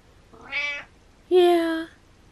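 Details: Hungry pet cat meowing from below the stairs, giving two meows: a short rising first call, then a louder, longer, steady, strongly tonal second meow.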